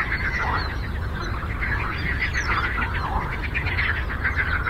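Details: Many frogs croaking together on a lake, a dense, continuous chorus of rapid pulsed croaks blending into a steady rattling wash, with a low rumble beneath throughout.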